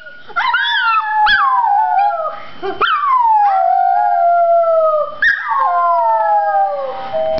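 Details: Chihuahua howling at its owners' urging: long, wavering, harmonic howls that drift downward. Sharp yips break in about every one to two seconds before each new drawn-out howl, with a faint steady tone behind.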